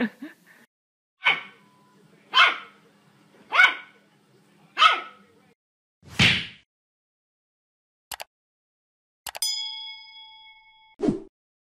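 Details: Puppy barking from a pet compilation: five sharp, high yaps spaced about a second apart over a faint low hum, then a couple of clicks, a bright ringing metallic ding, and one last short bark.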